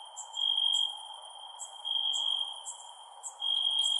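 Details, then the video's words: Crickets at night with long high ringing trills separated by short pauses and quick high ticks, over a soft constant hiss. "Cricket Sounds @ Night"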